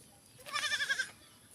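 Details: Goat being fed, one short quavering bleat lasting about half a second, with a wavering, tremulous tone over a quiet background.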